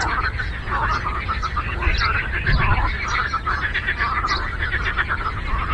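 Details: A dense chorus of many frogs on a lake, their overlapping croaks forming a steady, rattling wall of sound with short pulsed calls stacked throughout and no gaps of quiet.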